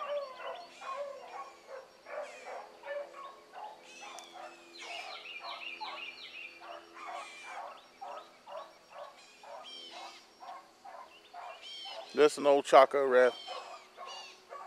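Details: Morning chase by a pack of hound pups running rabbit. Many dogs bay at once in a fast, choppy stream of yelps and wavering notes, and a much louder, closer drawn-out howl breaks in near the end.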